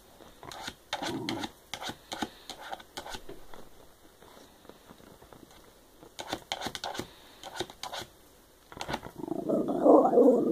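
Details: Indoor Shiba Inu named Diva chatting: bursts of rapid clicking taps come first, then a loud, drawn-out whiny grumble builds up and rises through the last second.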